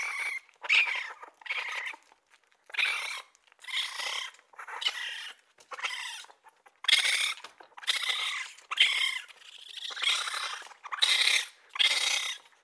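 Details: Raccoon giving harsh, broadband squealing bursts, about a dozen over twelve seconds at irregular intervals, each a rough hissy screech with a strong high tone, separated by short silences.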